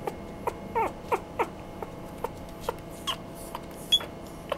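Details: A Chihuahua-Poodle cross whines in a string of brief, sliding yelps roughly every quarter to half second, some curving downward, against a quiet low room hum.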